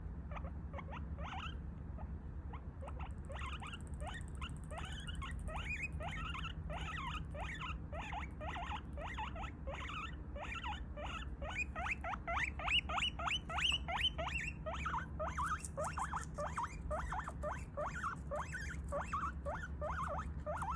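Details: Pet guinea pig, angry and upset after its snack came late, squealing in a long run of short, sharp rising notes, roughly three per second, steady and insistent throughout with slight rustling underneath.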